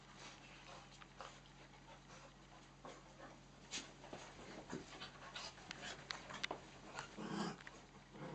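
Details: Dogs at play on miniature dachshund Nellie's third birthday, with a second mini dachshund and two cocker spaniels: breathy panting bursts and scuffling, irregular, with a brief low whine near the end.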